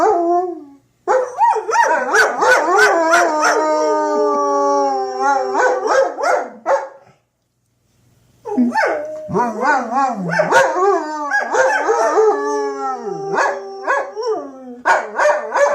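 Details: Two German Shepherds howl at the weekly tornado siren test, long wavering, overlapping notes rising and falling, then pause and start again as the siren sounds.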